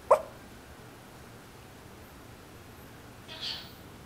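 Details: An old Yorkshire Terrier gives a single short, muffled bark in her sleep, then a faint soft rustle or breath; otherwise quiet room tone.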